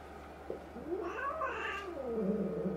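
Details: Domestic cat indoors, resident five-to-six-month-old brown tabby El facing new two-month-old black kitten Jill amid an intensifying fight; a drawn-out wavering yowl rises then slides down into a low moaning growl.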